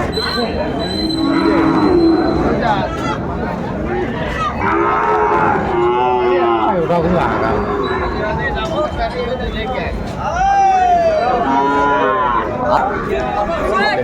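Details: Sahiwal bull calf at a livestock market in Sylhet, Bangladesh, on 16 December 2024. Several drawn-out, harmonic lowing moos rise and fall over the span, set against steady crowd chatter and market bustle.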